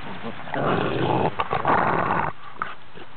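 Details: Cane Corso mother with her five-week-old puppies; a rough, rumbling growl-like grumble runs steadily for about two seconds, broken by a few short sharp noises, then fades to quieter scuffling.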